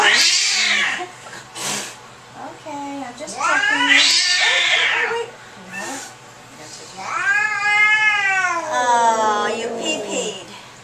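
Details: Angry domestic cat at the vet, described as hissing, screaming and howling, lets out loud harmonic yowls and a long wavering scream that rises then falls, with a person speaking between cries indoors.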